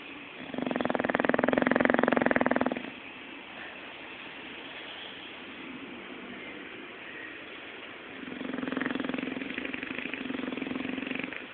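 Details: Zé, a pet bulldog, snoring while asleep and dreaming indoors; two long rasping snore breaths, the first about two seconds, the second starting near eight seconds, separated by quieter breathing and background hum.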